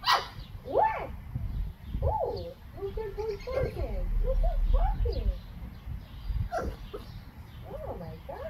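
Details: English Bulldog puppy Churro, 8 to 9 weeks old, in his first week at a new home, gives a run of short, arching, high whimpering yelps in quick irregular succession over a steady low rumbling background.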